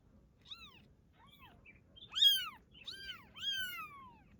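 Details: Domestic cat, a mother carrying her newborn kitten, gives a run of high, bending meows that rise and fall, starting soft and growing louder and more drawn-out toward the end.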